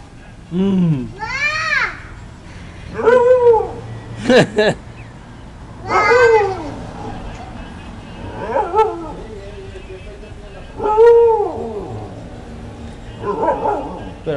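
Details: Young Siberian Husky giving a string of short woo-woo howls, each one a rising then falling arched tone lasting about a second, spaced every two to three seconds, with a person speaking quietly between them.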